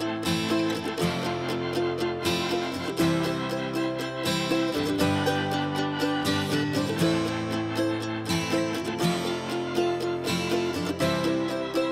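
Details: Strummed acoustic guitar music with a steady rhythmic beat plays without any animal voices.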